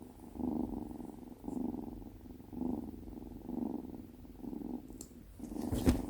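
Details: A female Tonkinese kitten named Binwoo purrs while giving a cuddle on her first day at home; rhythmic rumbling surges about once a second, ending with rustling handling noise.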